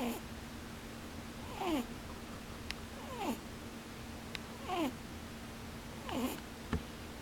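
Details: Rabbit dozing with its eyes open makes rhythmic snores. Each is a short nasal puff sliding downward in pitch, repeated about every one and a half seconds, with a faint hum underneath and one sharp click.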